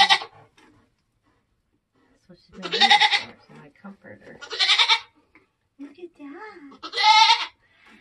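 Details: Nigerian Dwarf goat giving birth on a homestead during kidding season: four loud, harsh, wavering bleats about every two seconds, with quiet human voices talking between them.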